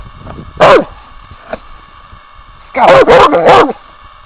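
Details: Pet dog at home in a cabin, barking on command: one loud bark, then a quick burst of three barks, with a woman's voice speaking Swedish and praising the dog.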